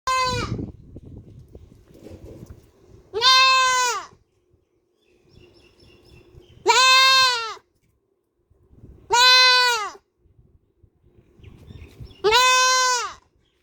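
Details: Black goat kid screaming, real recording: loud harmonic bleats roughly one second long, each with a slightly arched, wavering pitch, four full calls plus one at the start spaced about three seconds apart, with quiet rustling and low background noise between them.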